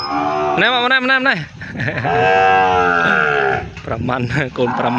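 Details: Calves newly separated from their mothers and moved into another pen on a Cambodian cattle farm, crying out; a rising harmonic bawl, then a long sustained moo, with a man talking over the calls.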